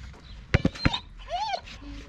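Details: Rottweiler worked up by an obsession with a ball, whining: a few sharp knocking taps, then one clear arched whine that rises and falls, followed by a faint low steady tone.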